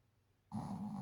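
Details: A female Shih Tzu named Gigi gives a low, rough, buzzing, human-like snore that starts abruptly after a moment of quiet.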